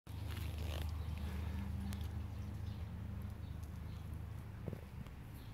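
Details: Bumblebees recorded on 8 September 2023 give a deep, steady droning hum with faint bumps and rustles around it.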